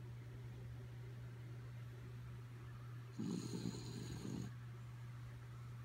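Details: Indoors, the sleeping dog Kaya Boo lets out a single raspy, fluttering snore after quiet breathing, while a persistent low hum drones in the background.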